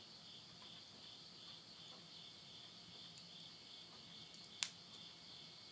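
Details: Insects calling at midnight at the end of summer, September 2020, in the countryside of Yurihama, Tottori, Japan: a steady, unbroken high shrill trill in two close tones, with a single sharp pop of burning wood in a stove.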